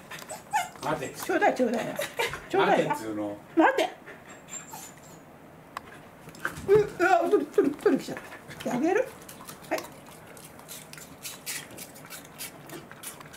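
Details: Welsh corgi Roku, overjoyed at meeting its breeder, gives bursts of excited whimpers and yips in two clusters separated by a quieter pause. Human voices are mixed in.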